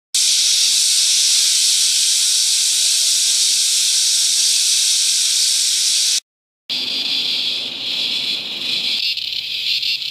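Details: Millions of screeching cicadas in natural Australian bush at Promised Land, NSW, or Mt Tamborine, Qld. A continuous, piercing shrill drone runs unbroken for six seconds, then a softer, wavering chorus follows after a brief cut.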